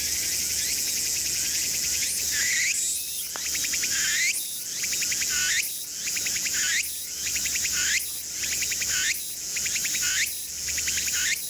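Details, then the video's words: Tsukutsukuboushi cicada (Meimuna opalifera) singing in Mitake forest, Japan: rhythmic phrases repeat roughly once a second. Each phrase is a rising sweep followed by rapid ticking pulses, set over a steady high, hissing buzz of insect noise. "Japanese Cicada 2 - ツクツクボウシ (Meimuna Opalifera)"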